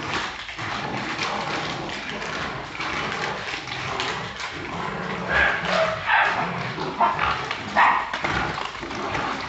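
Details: Brazilian Jagdterriers, with scattered short high yips and whines rising out of a steady rough din, growing more frequent in the second half.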